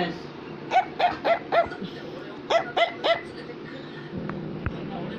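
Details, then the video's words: Affenpinscher, a German toy terrier breed, barking indoors: two quick bursts of sharp, yappy barks, four then three, with a person talking nearby. "Affenpinscher is Barking"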